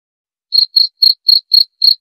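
A cricket chirps steadily, with short shrill pulses repeated about four times a second.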